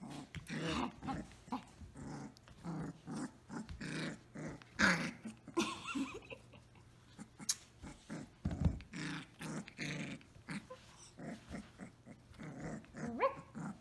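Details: Samoyed puppy Orange Girl at play indoors, growling almost continuously in rough, throaty bursts over many seconds, with snapping, scuffling noises and a human voice briefly heard.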